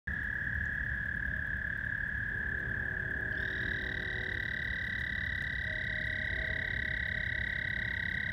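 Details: Many frogs call together at night at George Lake, Whiting, Indiana, on 15 May 2020, blending into one unbroken high-pitched trill over a low rumble, with a faint, brief lower tone beneath.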